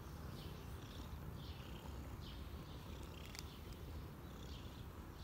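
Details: Cinnamon, a cat being petted as much as he wants, purrs in a steady low rumbling pulse throughout, with small birds chirping in the background.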